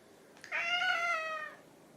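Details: Hungry house cat, either orange tabby Chai or silver tabby Sushi, talking for food: one loud, rich, nasal meow held about a second with a slight downward slide at the end, against a quiet room.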